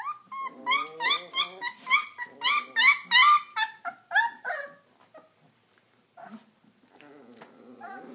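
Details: Three-week-old Redbone Coonhound puppies indoors, crying in a rapid run of high, harmonic whines, about three per second, each rising then dropping, fading after five seconds into soft grunts and rustling.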